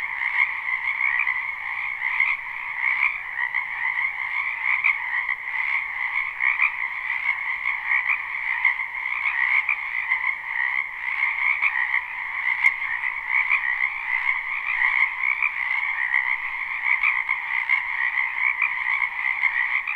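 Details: Many spring frogs call together from a wetland beside a home, recorded live without looping. The continuous shimmering croaks pulse slightly throughout, with one brief sharp click partway through.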